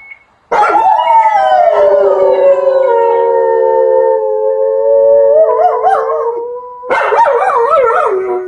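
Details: Two German Shepherd brothers howl together in long, sliding tones that waver and rise near the end.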